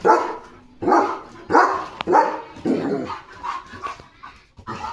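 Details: German Shepherd dog on evening guard at the gate, barking at a dog outside: harsh, rough barks roughly every half second to second, fading into softer yips toward the end.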